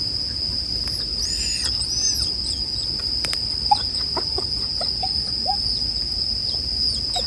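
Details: Bell crickets in a sleep-music mix with bonfire sounds: a steady high ringing tone runs throughout, overlaid by brief whistled chirps and soft crackling from the fire.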